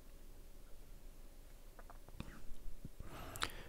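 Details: Soft whispering, clicks and rustling handling noises are heard, with no animal voice present. Low background rumble fills the quiet stretches between the bursts of handling sound.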